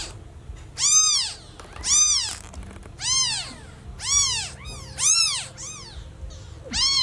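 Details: Lost newborn kitten meowing very loudly for its mother: roughly seven strong, rising-and-falling meows about one per second, some doubled, over quiet background.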